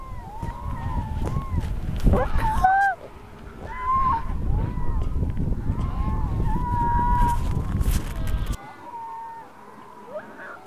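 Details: Harp seal with a newborn yellow-coat pup; a rapid series of short arched wails repeating several times a second, then longer steady cries, under strong wind rumble that drops away near the end.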